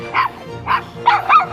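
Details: A Shiba Inu (mame-shiba) barks four short, sharp yaps in quick succession. It is in a fully dog-free-roaming glamping site's dog run in Wakayama and is barking at an arriving acquaintance.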